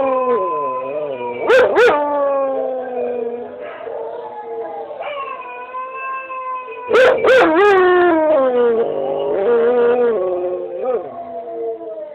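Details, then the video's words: House dog answering another dog on a screen: drawn-out harmonic howls that rise and dip, interrupted twice by clusters of short loud yips, then resuming as a steady wavering cry. "Howling Molly"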